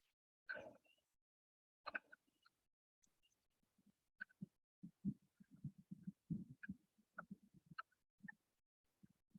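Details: Laughing frogs recorded in nature in the Amazon near Napo lodge give a run of low, rapid chuckling pulses, like muffled laughter.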